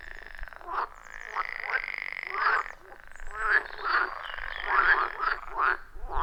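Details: Frogs chorusing at a wild forest pond: a steady droning trill underneath, with short bursts of croaks from several frogs every half second or so, rhythmic and overlapping.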